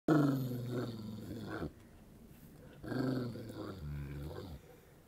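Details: A hungry Saint Bernard asking for food being shown to him, two long groaning, moaning vocalisations, each about one and a half seconds, wavering and falling in pitch, separated by a short pause.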